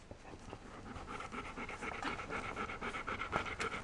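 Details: Puppies from a 2015 litter jostling for the best places, which happens several times daily. Quick, breathy panting repeats about four times a second against a steady, hissy background.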